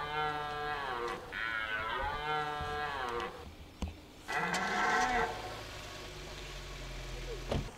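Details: Red deer during the 2023 rut in Hoge Veluwe National Park, Netherlands: a long, hoarse harmonic roar of about three seconds with wavering pitch, then after a pause a shorter second roar, followed by low rumbling background and a sharp click.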